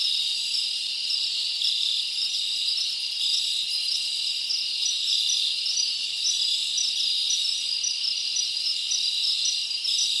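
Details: Crickets chirping at night in a summer forest: a dense, steady high-pitched shimmer of many overlapping trilling insects, with faint rhythmic pulsing and no other clear sounds.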